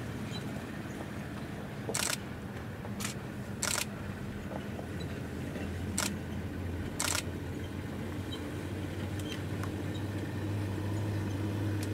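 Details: A low vehicle engine hum is heard with several sharp camera shutter clicks outdoors in the Masai Mara, and no animal call.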